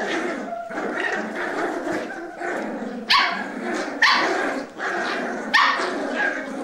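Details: Cavalier King Charles Spaniel puppies, four of them, battling over a sock indoors: rolling growls broken by three sharp, high yelps about a second apart, then the growling resumes.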